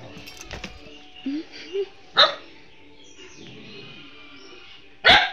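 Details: Domestic dog confronting the owner's wife, who it does not know, gives soft grumbles and then two sharp barks about three seconds apart, with faint household noise.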